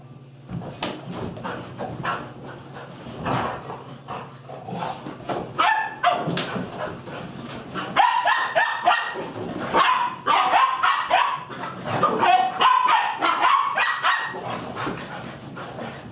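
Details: Playful chase around a table between young pup Pistol and big dog Ryder: rapid excited yips, whimpers and barks tumble over one another, growing denser and louder in the second half, with scuffling throughout.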